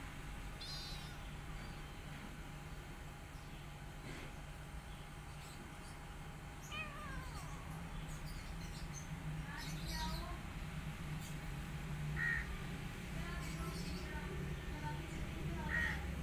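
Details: Rescued mother cat giving extra care to her adopted kitten among her own litter; thin, high kitten-like mews recur irregularly every few seconds, some wavering and falling, against a steady low droning hum.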